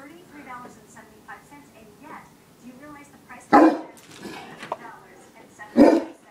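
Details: A 185 lb male English Mastiff barking at bras gives two loud, booming barks a couple of seconds apart after soft talking.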